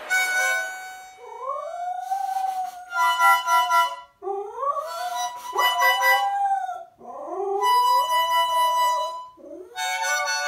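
A Siberian Husky howls in long, rising, wavering notes alongside a reedy harmonica-like instrument.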